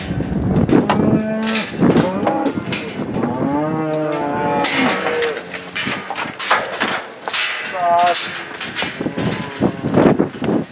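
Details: Black Angus cattle herd on a farm in northeast Kansas, released into spring pasture in 2015, mooing repeatedly with overlapping harmonic calls, several animals lowing at once amid rustling and clatter.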